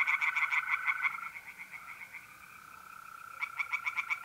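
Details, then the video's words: Singing tree frogs at a north-east Italian pond on an April night: a fast burst of crisp, repeated clicks fades into a lull, then resumes sharply, while mole crickets keep up a level, high trill. "relaxing singing tree frogs in pond"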